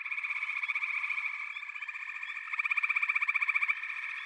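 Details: A chorus of frogs calling together: dense, rapidly pulsed trills overlap in a steady high drone. A louder, sharply beating trill swells in the second half, about four pulses per second.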